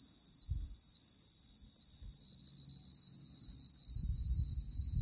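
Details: Male Oecanthus tree cricket in song, a sustained high-pitched trill that shifts slightly upward in pitch partway through and grows a little louder, over soft low background rumble.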